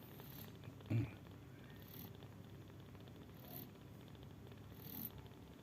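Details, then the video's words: Sleeping mother cat snoring: a quiet, low rumbling breath sound throughout, with a louder thump near one second and faint high hisses recurring about every one and a half seconds. "The mother sleeps snoring"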